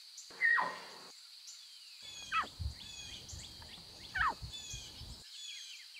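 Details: Wild lion cubs meowing near their mothers: a sharp falling mew opens, then two more downward-sliding cries among scattered bird chirps and a steady high drone.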